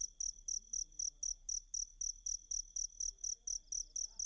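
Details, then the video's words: Steady cricket chirping used as a master song for Kacer birds: crisp, high, ringing pulses at about four per second throughout, with a quiet low rumble behind them. "Ajari Kacer Mu Dengan Tonjolan Suara Jangkrik"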